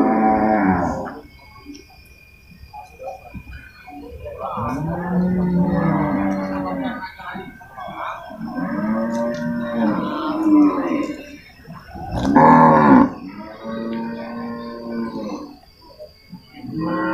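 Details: Water buffalo at a livestock market in Purwakarta, Indonesia, during loading and unloading in November 2022: a series of long, deep, harmonic lowing calls lasting one to two seconds each, some rising and falling, with market noise between them.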